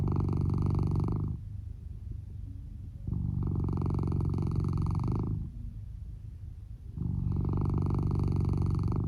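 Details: Deep-sleeping Lou, a male red tabby and white Norwegian Forest Cat, snoring beneath a futon, with volume turned up. Steady low vibrating rumbles of roughly two seconds alternate with quieter gaps, repeating three to four times.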